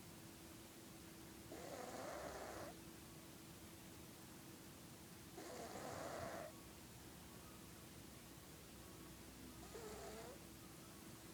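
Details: Felix, a sleeping domestic cat, snoring loudly. His snores range from a nose-trumpet sound to old-man snoring. Three raspy, breathy snores come about every four seconds over a low, steady hum.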